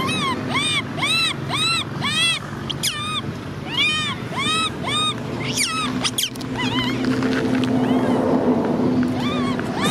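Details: Baby macaque named Cola crying while sister Lyly is angry; a rapid series of shrill, arched, harmonic screeches, each rising then falling, repeated about twice a second, later blurring into a noisier wail with low background rumble.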